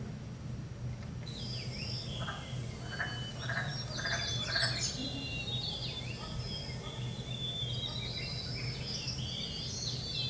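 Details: Wood frogs give a brief run of low, rasping, duck-like clucks during their early spring breeding chorus at Wonder Lake, Denali, recorded by a station placed to capture the breeding season. High, thin bird chirps and twitters continue over a steady low rumble.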